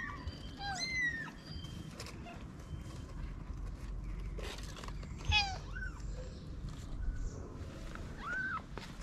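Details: Stray mother cat with newborn kittens hidden in a paper box in Morocco; a few scattered high, arched mews separated by pauses, with low rumbling background noise and some clatter.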